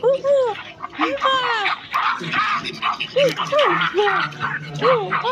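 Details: Silvery gibbon uttering repeated short, arched whoop notes, each rising then dropping, spaced roughly half a second apart with brief pauses between bursts.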